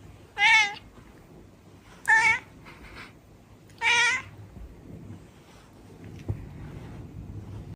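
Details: A cat giving three short, loud, bright meows about one and a half to two seconds apart, each clipped and harmonic, in a quiet room with faint low background noise and a small knock near the end.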